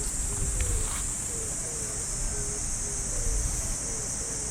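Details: Cicadas singing in the trees of a Japanese park on an early summer morning, a steady, shrill, unbroken high drone throughout, with faint short low tones repeating about once a second beneath and a low rumble of background noise.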